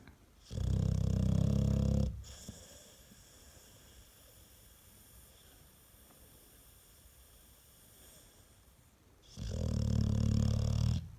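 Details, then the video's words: Sleeping pet American Staffordshire Terrier indoors, two loud, low, rumbling snores about eight seconds apart, each lasting over a second, with quiet breathing between. "4 Минуты собачьего храпа | Храп | Стаффорд | Стаффордширский Терьер"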